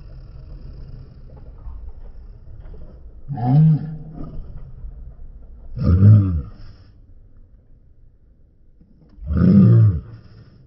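A Rottweiler gives three deep, booming barks spaced a few seconds apart.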